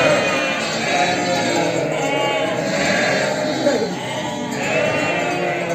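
A flock of sheep and lambs bleats continuously, many wavering voices overlapping into a dense chorus.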